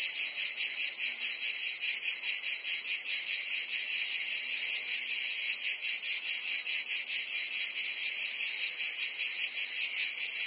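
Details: In Provence, France, cicadas sing through the summer heat: an intense, sizzling buzz, high and constant, throbbing in regular quick pulses with no gaps.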